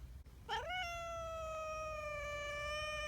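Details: Community cat giving one long meow that rises sharply, then holds a steady, slightly falling tone for over two seconds, with faint low background rumble.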